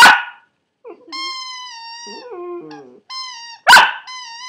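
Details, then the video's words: Maltipoo puppy singing: sharp barks at the start and again near the end, between long, steady, whistle-like howled notes that dip lower in the middle and then rise again. "My maltipoo sings"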